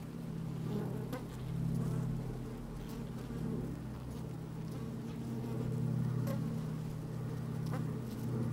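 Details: Worker honey bees in an open hive, sunny day with some wind, microphone placed down in the hive; a deep steady hum swelling and easing in waves, with occasional sharper buzzes and clicks.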